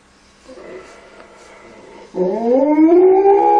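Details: Malamute puppy playing with children gives a rising, tonal howl that starts low and climbs smoothly, after a stretch of softer breathy noise.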